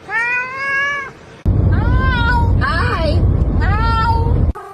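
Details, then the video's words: Domestic cat in a funny talking-cat compilation giving long harmonic meows, one clear drawn-out cry then a run of wavering meows over a loud rumbling background, with a person urging it to say mama. "funniest talking cat"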